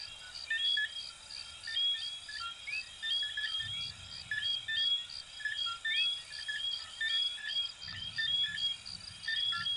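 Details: Chorus of coquí frogs from Venezuela and Puerto Rico: many small frogs calling at once with short whistled notes, several sweeping upward, overlapping in a dense high-pitched rhythm over a steady shrill background hum, with faint low rumbles at intervals.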